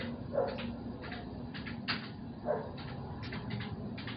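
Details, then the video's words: Domestic dog barking at night outside a home, heard from indoors: distant, muffled barks in short bursts, with two sharper ones standing out, over a steady low indoor hum. "dizi seyrederken havlama operasyonu bu gece erken geldi"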